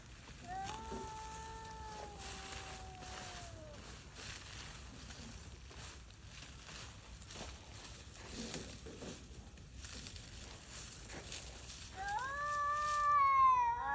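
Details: Stray cats, worn down by cold and hunger, out hunting for prey: a drawn-out, wavering wail of about three seconds, a stretch of faint background noise, then a louder rising, quavering scream near the end.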